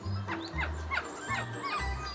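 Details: Capuchin monkeys of a rescued troop at Monkey World Ape Rescue Centre, feeding on frozen ice balls, give happy chirps telling the family troop good food is available: short falling chirps repeated about every 0.4 seconds over low background music.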